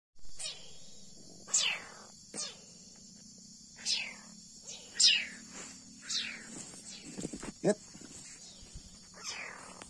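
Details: Leopard cat kitten, a young wild cat being hand-reared and fed milk, giving high, sharp descending cries about once a second or so, with a low steady hum beneath and some handling noise.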